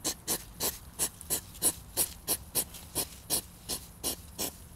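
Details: European hedgehog snorting in a mating tussle. Breathy, hissing puffs repeat nearly three times a second, some louder and sharper than others, with a slightly uneven beat.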